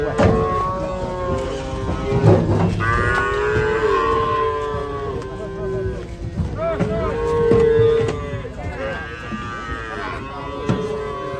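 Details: Restless cattle coming down off a truck, moaning repeatedly: several long, tonal moos overlap and follow one another across the stretch, some flat and drawn out, others bending upward at the ends, over a steady background rumble.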